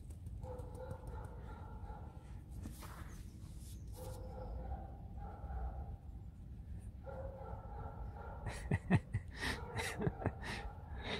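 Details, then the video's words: Pet fox Alisa grumbles throughout a play session: long nasal harmonic moans broken by brief pauses and a breathy snort, then ending with a run of sharp taps and scuffling. "Алиса - Лиса. Ворчливая игра."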